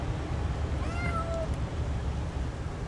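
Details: A small stray kitten in a back yard, coaxed with food, lets out one drawn-out meow that rises then levels off, with a constant low hum of outdoor background noise.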